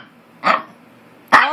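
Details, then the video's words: Harry, a pet Maltese indoors, gives two short sharp barks about a second apart while arguing with another dog named Hector. "Harry ( Maltese ) argues with Hector"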